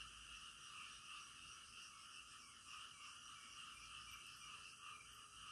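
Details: Frogs calling in the middle of the night, a dense continuous chorus of overlapping croaks forming steady bands, with faint pulsing throughout and no other clear sounds.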